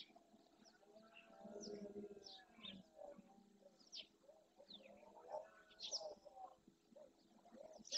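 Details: Red deer stag roaring at dawn during the rut in the Doñana National Park marsh, Andalusia, Spain, courting his hinds and warning rival males off his territory and harem. A low, drawn-out harmonic moan swells and fades, with many birds chirping above.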